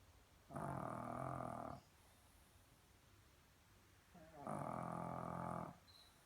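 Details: A Shih Tzu, asleep, snores in two long, rough, rumbling breaths about four seconds apart.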